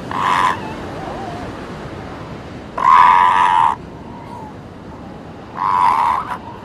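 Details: Seal pups on a beach give three loud, wailing harmonic calls, each lasting about half a second to a second, spaced roughly three seconds apart, over a steady wash of breaking waves.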